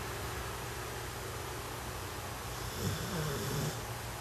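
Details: Sleeping puppy giving a single soft, low snore near the end, preceded by quiet steady background hiss.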